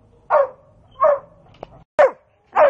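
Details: Pet dog, possibly named Omry, indoors while being told to find its basket: four short, sharp barks, each dropping slightly in pitch, spaced roughly every half to one second, with near-silence between them.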